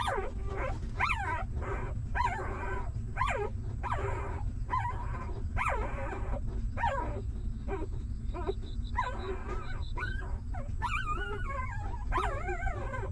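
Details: Newborn puppies of a stray mother dog whimper at feeding time while she nurses and cleans them: a steady run of high, wavering whines, rising and falling, about one every second, over a constant low rumble.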